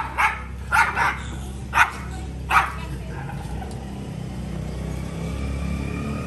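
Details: Dog giving four short, separate barks within the first three seconds, then quiet over a steady low background rumble.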